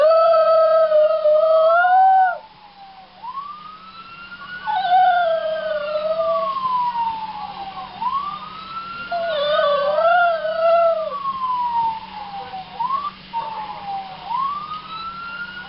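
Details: Mocha, a dog, howling at a passing police siren: long wavering tones rise and fall in step with the siren's sweeping wail, the siren and the dog's voice overlapping throughout, with a brief lull near the start.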